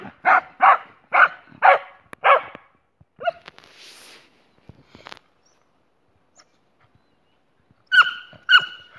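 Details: Boxer dog Jessie, with companion Spike: a run of five strong barks in quick succession, a few softer yelps and a hiss, a long quiet gap, then two final ringing barks.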